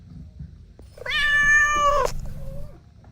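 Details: A kitten or mother cat among kittens playing with their mom and two siblings; one steady, sustained meow of about a second, ending abruptly, with soft rustling before and after.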